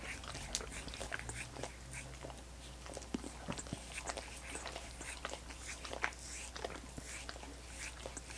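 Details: Indoor dogs licking coconut water popsicles, with a dense run of wet, smacking clicks and slurps, some louder bursts near the three- and six-second marks, over a steady low hum.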